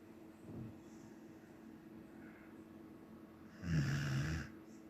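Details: A Samoyed asleep gives one soft snore, then a long, loud, gravelly snore near the end, a low throaty rattle of breath in a quiet room.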